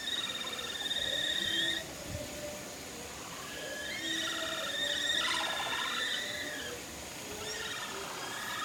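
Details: Capybara herd at Nagasaki Bio Park calling in unison on the way to the breeding male Toku, who joins in; several overlapping sustained whistled notes with layered overtones, plus one shorter falling pulsed call in the middle, repeated by different animals.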